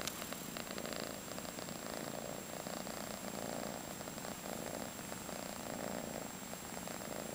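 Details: A five-month-old female calico cat, fostered in San Carlos, California, purrs continuously. The soft, even rumble pulses with each breath in and out, and the room is otherwise quiet.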